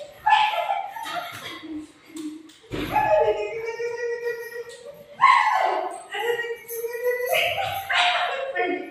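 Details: Golden retriever desperately searching for its owner, later playing with her: drawn-out, tonal whining cries that rise sharply at onset then hold steady, several in a row, mixed with a person talking.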